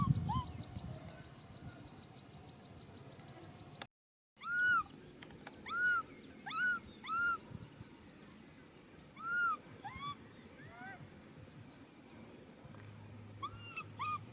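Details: Young macaque crying out to be hugged, giving a series of short, arched, whining cries, some in quick pairs and some spaced a second or more apart. A brief dropout in sound occurs early, with steady background hiss and occasional handling noise.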